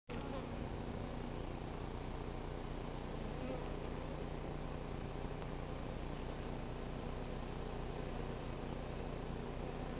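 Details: Honey bee swarm from a crape myrtle tree in South Pasadena being hived. The queen is inside, stragglers file into the new hive entrance, and some fan their wings. A dense, steady, low droning hum with layered buzzing tones continues throughout.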